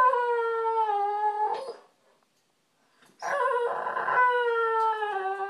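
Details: Pet male American Bulldog wanting attention, whining daily whenever ignored; two long, sustained, slightly falling whimpering cries separated by a pause of over a second, the second one roughening briefly in the middle.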